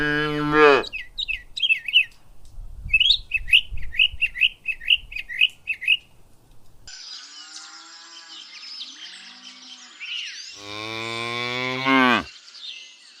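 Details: Cows grazing in a ripe rice field on a peaceful countryside afternoon; a short moo opens, a run of quick high bird chirps follows, then a second long, lowing moo near the end amid rustling.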